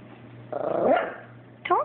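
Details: Chihuahua named Abbie fussing indoors over a toy taken by Sebastian, her Yorkie companion; a brief throaty grumble bending upward, then a short high yelp after a pause, with faint background hum.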